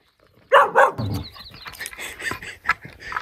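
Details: Black-and-white female border collie in Montana, United States, frightened when a huge buffalo comes up behind her near a log-splitting mill: two sharp, loud barks in quick succession, then a man calls her over with other voices.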